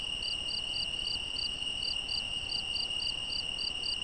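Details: Crickets calling after dark in Portugal's Algarve: a string of crisp, high-pitched chirps at a steady quick pace, layered over an unbroken whining insect drone.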